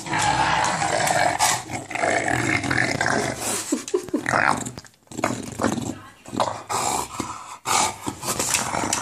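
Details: Enzo, an English Bulldog who loves balls, makes a monster-like growl while playing with one; continuous rough, throaty grumbling broken by short pauses, with a person's voice in the background.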